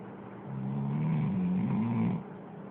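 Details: Dog snoring, recorded on an Android phone: one drawn-out, rough low breath swelling and fading over under two seconds, above a steady low hum.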